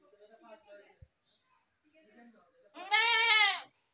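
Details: After soft murmuring and a click, a goat gives one loud, quavering, buzzy bleat lasting nearly a second near the end.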